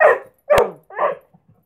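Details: English Springer Spaniel barking during a trick session, too keen on his treat to perform; three sharp, mid-pitched barks spaced about half a second apart, the last one softer, then two tiny trailing grunts.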